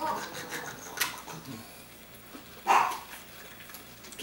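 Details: A playing puppy, recorded in 2014, lets out a single high, clipped yap midway through. Soft thumps and clicks from play come before it, with quiet room noise around it.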